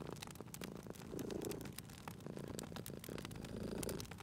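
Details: Cat purring beside a crackling fireplace in a cozy setting; low rumbling purr swells in two soft phrases, partly masked by sharp pops and snaps of burning wood throughout.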